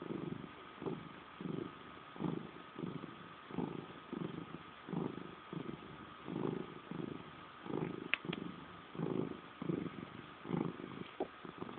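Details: Salem the cat purring passive-aggressively; deep throbbing pulses rise and fall with each breath in an even cycle, plus a couple of faint sharp clicks near the end.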